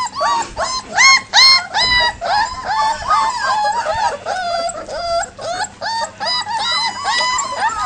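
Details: Leonberger puppies out of doors for the first time, in panic after the adult dogs begin barking: many rapid, high, rising-falling yelps and yips, about two or three per second, overlapping in a frantic chorus.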